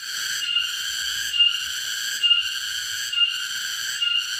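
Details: A cicada in a garden sings a loud, shrill, continuous buzz that swells slightly about once every second.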